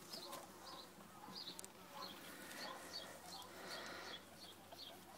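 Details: Two-week-old ferret kits beside their mother, giving thin, high squeaks in quick little bursts of two or three, repeated steadily through the clip, with faint soft clicks and rustling underneath.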